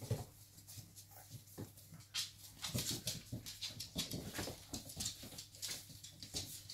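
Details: Five-week-old Cavalier King Charles Spaniel puppies at a kennel give high, thin whimpers and squeaks in quick, overlapping bursts.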